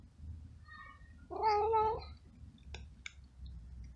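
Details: Abandoned stray kitten living in a garden gives a single drawn-out, slightly wavering meow lasting about half a second, followed by sharp clicks over a low background rumble.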